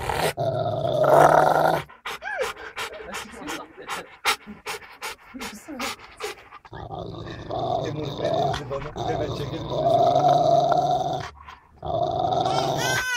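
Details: A Rottweiler, described as angry, makes harsh, drawn-out growls and throaty bursts that rise and fall in loudness, with sharp clicking noises mid-stretch and a person talking at times.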